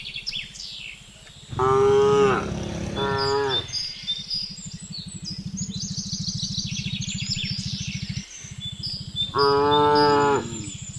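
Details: , Cattle calling the herd while being herded home along a rural village road in the afternoon: three deep, rich moos, two close together early and one near the end, with a constant low pulsing hum and scattered bird chirps between.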